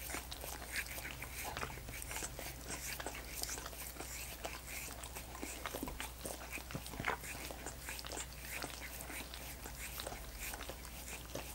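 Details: Dogs keep lapping at coconut water popsicles in a long run of wet clicking smacks, fairly even in loudness with a few sharper slurps, against a soft continuous hum.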